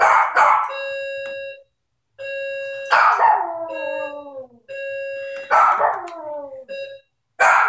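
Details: Maltese set off by the doorbell, giving drawn-out howls that slide downward in pitch over about a second and a half, with sharp yelps at the start; a held electronic doorbell tone rings repeatedly underneath.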